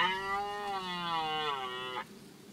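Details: Red deer stag roaring during the 2024 rut in a forest clearing close to the recordist: one sustained, strongly harmonic bellow of about two seconds, slightly falling in pitch, ending abruptly.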